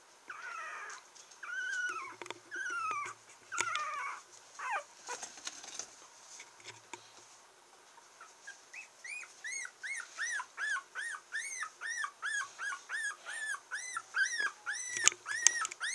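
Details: A 22-day-old female red Toy Poodle puppy in Kochi, Japan, whimpers and squeaks in high, arching cries repeated about twice a second; recorded 30 August 2014.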